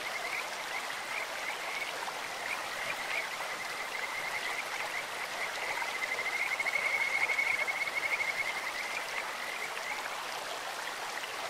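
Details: Kajika frog beside a clear stream giving a high, sweet, whistle-like trill. The call swells to a quick pulsed run in the middle, over constant splashing stream noise.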